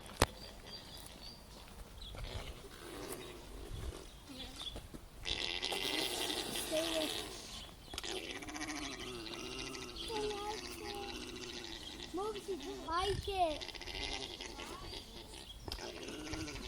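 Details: Alpaca mating, voicing a run of wavering, low humming gurgles that rise and fall in pitch and repeat through the second half; a burst of rough broadband noise comes earlier, with people talking nearby.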